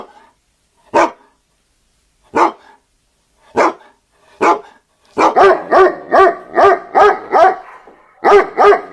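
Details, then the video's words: A dog barks singly about every one to two seconds, then breaks into a fast run of evenly spaced, ringing barks, roughly three per second, pausing briefly before more. "Hear the sound of a dog barking"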